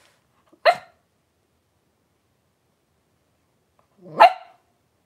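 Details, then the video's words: Five three-week-old blenheim Cavalier King Charles Spaniel puppies, born on New Year's, wrestling and playing in an indoor puppy pen. Two short, sharp barks sound about three and a half seconds apart, with near silence between them. "3-Week-Old Cavalier Puppies Wrestle and Play Live"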